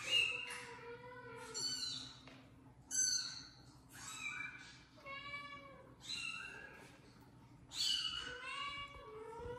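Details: Indoors, a phone plays kittens meowing as the mother cat and later the father cat investigate; a run of bright, harmonic, arching meows, several close together, interleaved with lower, drawn-out mews over a quiet room.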